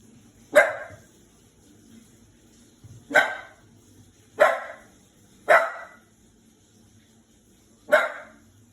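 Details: Five-month-old Shiba Inu puppy barking, frightened of a washing machine; five sharp single barks at irregular intervals over about nine seconds, with a low mechanical hum underneath.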